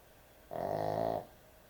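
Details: One long, loud snore from a sleeping dog known as an excessive snorer, a harsh nasal buzz rich in harmonics that holds steady for most of a second before cutting off.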